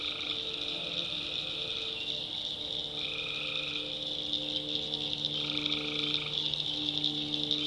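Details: Tree frogs at night in a backwoods swamp, North Carolina: a thick shrill chorus with three long droning notes, each over a second, plus steady low humming tones underneath.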